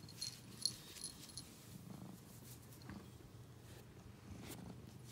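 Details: Domestic cat purring: a soft, low, steady rumble with faint swells every second or so, and brief metallic jingling clicks near the start.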